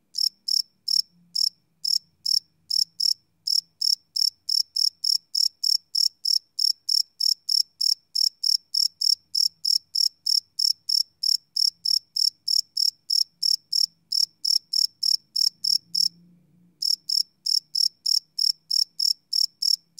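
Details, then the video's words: Crickets at night, recorded live with a Sony PCM D100 field recorder, no loops: a steady train of sharp high-pitched chirps, roughly three to four per second, with one brief gap near the end and a faint low rumble underneath. "Cricket Chirp Sound - Cricket Sounds at Night"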